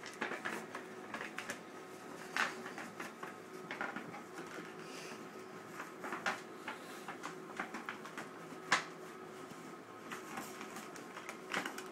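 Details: Paper rustling and scattered clicks and bumps in a small room, with no animal voice.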